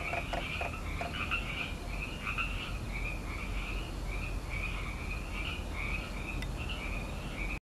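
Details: A chorus of tree frogs calls in May near Petaluma, California. Quick raspy pulsed croaks run back to back with a higher and a lower band. A few sharp knocks come early on, and the chorus stops abruptly at the end.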